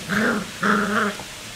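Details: Three black Cocker Spaniel puppies at play give two short, voiced growls, each lasting under half a second.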